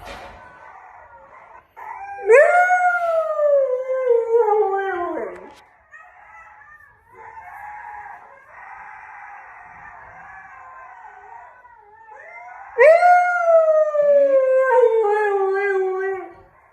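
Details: Male husky reacting to howling wolves: two drawn-out howls that rise sharply and sink slowly, with soft warbling whines between them.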